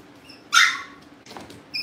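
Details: Cavalier King Charles Spaniel puppy indoors at home, wanting to get into the living room, lets out one sharp high yelp lasting a quarter second, then a fainter rustle and the start of another yip, with a low hum.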